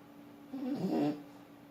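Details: One soft, short, rasping snore from Forsik, a sleeping French Bulldog, heard against a quiet indoor background.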